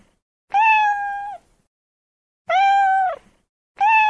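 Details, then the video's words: Domestic cat in California meowing a lot, long level meows under a second each, repeated roughly every two seconds, clean and tonal with strong harmonics. "SOUNDS OF AMERICAN CATS 2023"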